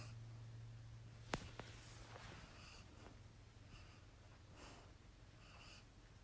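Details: Leela, a pet dog, snoring with her tongue out and twitching while dreaming indoors; soft breathy snorts recur about once a second after a sharp click near the start, over a low steady room hum.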